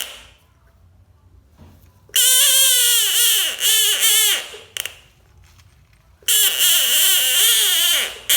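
An American bullfrog gives loud, wailing screams with a harsh, cry-like tone, in two long bursts.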